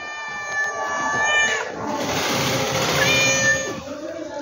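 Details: Cat meowing: long, drawn-out harmonic cries, with a sliding rise-and-fall near the middle and again toward the end, overlapping one another in a steady, continuous stretch.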